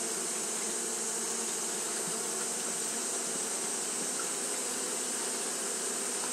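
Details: Steady fanning drone from a mass of Japanese honey bees on a hot day, a smooth constant buzz with low humming bands and a faint hissing wash, without pauses.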